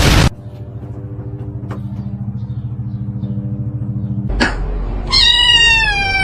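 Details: A domestic cat gives one loud, drawn-out meow that falls slightly in pitch, near the end. Before it come several seconds of a steady low mechanical hum, broken by a sharp knock.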